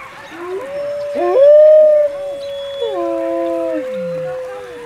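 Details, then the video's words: Alpha wolf of a captive pack taking the lead in a final group howl at an evening howl event; several overlapping long howls, one rising then holding level, others sliding downward, with faint crowd noise beneath. "Howls at Howl Night"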